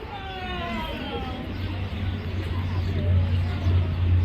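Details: A female beluga whale at Mystic Aquarium, one of its most talkative, calls at lunchtime with a squealing, slightly falling call through her blowhole (belugas have no vocal cords), over a low rumble and crowd chatter.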